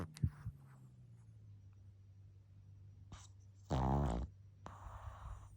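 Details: Sleeping pug puppy lets out a single half-second rasping snore indoors, preceded by faint clicks and shuffling and followed by a soft hiss.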